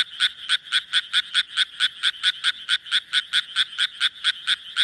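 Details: Rapid run of harsh, clipped croaks from a Japanese tree frog, around four per second and very even, some twenty notes in a row, with little else audible.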